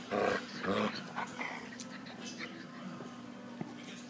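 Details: Dachshund and Saluki at play together: two loud, rough, voiced yelps or growls in the first second, followed by quieter scuffling and faint voices in the background.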